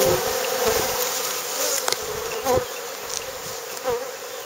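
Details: Bees buzzing at a saltworks, a continuous hum with a few louder passes as single insects fly close, swelling briefly several times over the clip.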